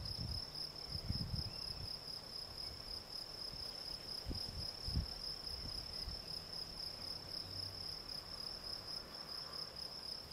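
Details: Field cricket Gryllus campestris singing continuous rapid high chirps, a bright repeated tone, accompanied by scattered low knocks and rumbles in the surroundings.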